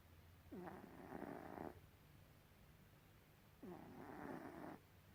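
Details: A sleeping cat named Gribouille gives two rasping snores, each opening with a faint whistle and lasting about a second, three seconds apart, with a low steady hum behind.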